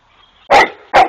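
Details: Rhodesian Ridgeback dog playing with a neighbour's peacock; two sharp, loud barks about half a second apart, each a short broadband burst after a faint low murmur.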